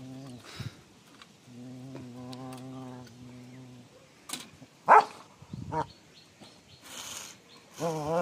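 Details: Rottweiler dog playing, losing a tooth in the process: three drawn-out, low, wavering grumbles in a row, then sharp knocks and thuds of play, with a rising whiny note at the very end.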